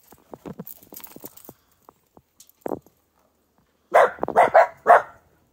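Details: Dog playing in fresh morning snow: a cluster of loud, harmonic barks near the end, four sharp yaps in quick succession, after quieter scattered yips and rustling earlier.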